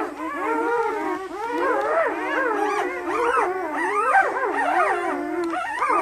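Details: Very lively 48-hour-old German Shepherd puppies, eight in the litter, at Seelenvoll in Maine; unbroken layered whimpering and squealing from several pups at once, pitches sliding up and down throughout.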